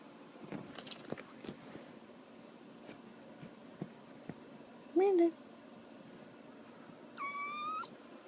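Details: Kitten spazzing out in the morning; soft knocks and rustling, then a brief low chirp-like meow at mid-clip and a higher, longer meow near the end, with a woman speaking just before and after.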